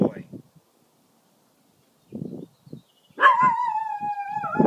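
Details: A person praises the dog in short bursts of speech. Then Zotz, a pet dog warning off coyotes, lets out a long, steady, howling bark lasting over a second.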